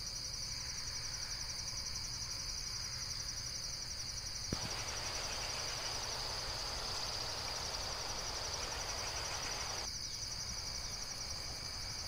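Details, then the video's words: A steady, shrill insect chorus of fast pulsing trills. From about four to ten seconds a broad hiss of rushing noise rises over it, then fades back to the plain chorus. "Amazing Insects World - Relaxation Video with Various Nature & Insects Sounds"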